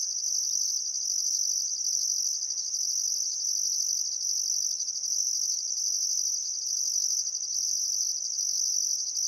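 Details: Summer sunset chorus of crickets beside the Barcoo River in Welford National Park, Outback Queensland, Australia: an unbroken piercing trill with a higher, regularly pulsed layer switching on and off roughly every second.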